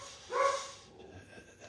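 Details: Female house dog still barking in the morning at a neighbour's passing German Shepherd: a single short, bright bark, then a quiet room.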